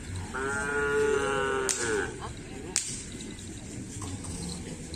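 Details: Bull-race cattle practising at the Asemanis field on 6 November 2022 before a kerapan sapi contest; a drawn-out lowing moo is cut off by two sharp cracks, with background music and murmuring.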